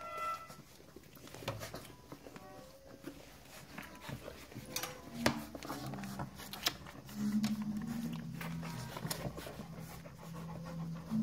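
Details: One-month-old golden retriever puppies give brief high whimpers and soft panting over a low indoor hum.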